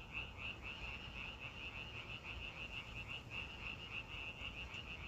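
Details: A frog chorus in nature: quick, bright, rattling pulses repeat continuously and overlap, with a constant low background hum beneath the calling.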